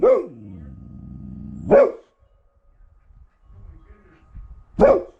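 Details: Alaskan bush dogs playing after mushing: three loud, harmonic bark-yelps about three seconds apart. The first slides down into a lower, droning whine lasting over a second, with quiet rustling between calls.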